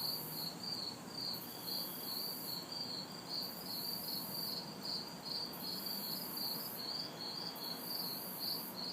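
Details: Night insect ambience of crickets and cicadas recorded in a city backyard during humid summer heat: regular shrill chirps in quick succession, an overlaid high buzz coming and going, faint background traffic rumble.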